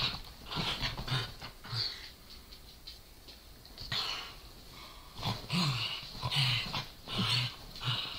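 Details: Corgi and Dachshund play-fighting over a toy, the Corgi growling and baring its teeth while the Dachshund barks; low rumbling growls come in bursts with panting-like breathy sounds between them.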